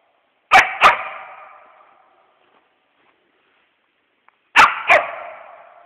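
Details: West Siberian Laika barking at a squirrel it has treed during a hunt. Two sharp double barks come four seconds apart, each pair leaving a long echoing decay with quiet between.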